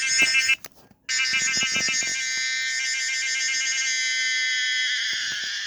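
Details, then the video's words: Pomponia linearis, the common cicada, gives a strident, rattling buzz that breaks off briefly near the one-second mark, resumes as pulsed throbbing, then settles into a continuous humming tone that drops slightly in pitch. "the weird sound of the common cicada pomponia linearis"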